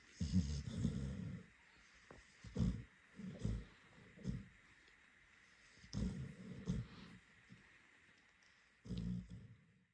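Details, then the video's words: Scottish Terrier Rory asleep after a long birthday; low, rough snorting snores arrive in irregular clusters of short breaths, separated by longer silent pauses. "Scottie Dog Rory snoring"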